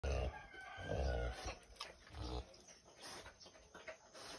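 A wild boar gives deep, rough grunts in short bursts about a second apart.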